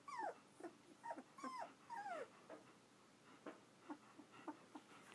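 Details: Two-week-old German Shepherd puppies in Florida, a litter from Vom Barron's Pride, give faint, high whimpers that slide downward, several in quick succession early on, then softer scattered squeaks against quiet room hiss.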